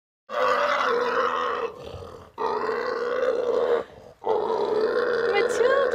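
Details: Matilda, a pot-bellied pig at Pig Harmony in California, sounding off when she wants to be left alone: three long, loud, rough roaring grunts, each over a second, with short pauses between, likened to a T-Rex.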